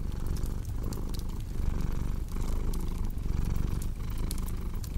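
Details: Deep, buzzing cat purr in slow repeated surges, accompanied by occasional crackles and pops from a fireplace.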